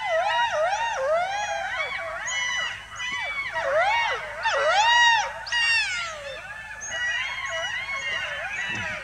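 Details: Golden jackal pair in the meadows of Kanha Tiger Reserve, Madhya Pradesh, India, perhaps warning each other about intruders; wavering, yelping howls in rising and falling arcs, several voices overlapping in a dense chorus throughout.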